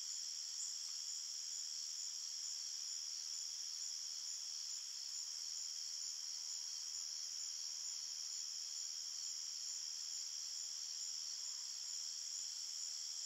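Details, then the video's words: Night crickets in a calm forest. An unbroken shrill chorus hums on several high tones, with faint quick pulses within the drone and nothing else audible. "Crickets Chirping Sounds"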